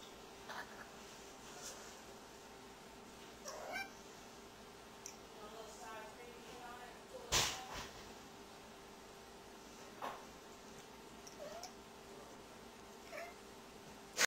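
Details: Opal the tabby cat, indoors, meowing at a light for no apparent reason; a series of short meows spread across the recording, one sharp loud click midway, steady background hum.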